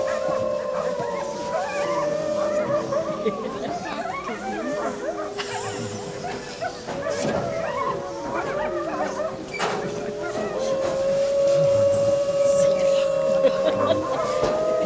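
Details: Several gray wolves howl together at night at Wolf Park, Battle Ground, Indiana, on 11 October 2014, long wavering tones overlapping and sliding up and down in a chorus.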